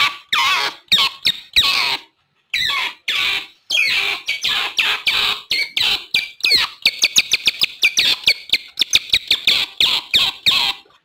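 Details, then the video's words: Otter calls meant to attract wild otters, beginning with harsh squealing bursts, then shifting to a quick even series of short high chirps after the midpoint. "SUARA OTTER BERANG2 PALING AMPUH UNTUK MEMIKAT BERANG2 LIAR"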